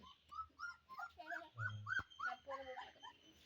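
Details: Golden Retriever puppies playing with a small child; a run of about a dozen short, high, squeaky whimpers and yelps, some rising then falling, with a woman talking in Malayalam throughout.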